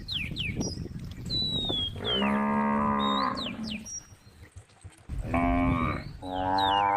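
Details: Tame cows calling out on a road, three deep harmonic moos, each about a second long, with lively bird chirps and whistles around them.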